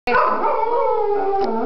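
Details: Cocker Spaniel dog 'singing': one steady, drawn-out tonal howl with rich harmonics, holding level and then dipping slightly near the end, lasting under two seconds.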